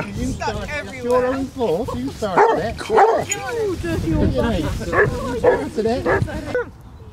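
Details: During a December 2016 walk of 16 Basset Hounds on Marlborough Downs, Wiltshire, several hounds let out wavering yowls and short barks under steady human chatter, the noise easing off near the end.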